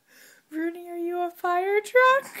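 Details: Rooney, a four-year-old female Old English Sheepdog, howls along with a fire truck siren. Sustained tonal howls with rich harmonics come in three drawn-out phrases, each a little higher, broken by short gaps.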